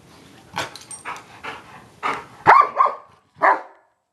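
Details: Giant Schnauzers Moses and Elsa wrestling in play: soft panting huffs at first, then louder raspy growl-barks in a quick uneven string, ending with one more harsh burst after a brief pause.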